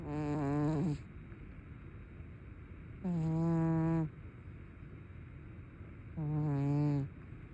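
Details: Sleeping cat with open eyes gives three long, rough, tonal snores roughly every three seconds. Each is a steady low drone lasting about a second, with near silence between breaths.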